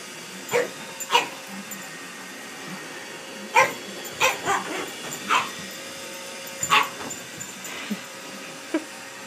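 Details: A pug confronts a Roomba robot vacuum, giving bursts of abrupt barks, about nine in all, some in quick pairs, with quiet gaps between and a continuous mechanical drone beneath.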